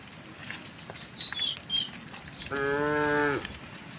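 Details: A cow in a tame herd heading toward pasture in the morning sunshine lets out one level, harmonic moo of about a second, after a series of high, quick bird chirps.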